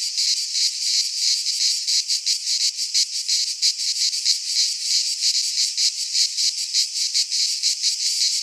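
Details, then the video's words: Greek cicadas in a pine forest at midsummer, their high metallic buzz swelling and fading in rapid beats, a continuous pulsing wall of insect sound. "Cicadas singing in midsummer"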